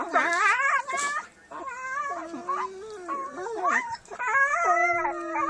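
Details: Dogs playing and making funny noises: overlapping drawn-out howls and whines, wavering and sliding in pitch, some yodel-like, with a few brief breaks.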